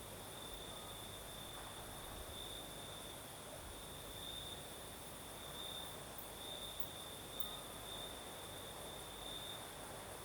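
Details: Singing crickets on a southern Crimean night with a gentle night breeze, a constant high metallic trill with small bright bursts every couple of seconds, a fainter second trill lower down, and airy background hiss.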